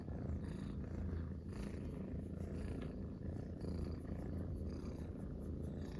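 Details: Munchkin kittens relaxing together in a sphere-shaped cat bed, three cats purring in chorus: a steady low rumbling purr with pulsing texture throughout, no other clear sounds.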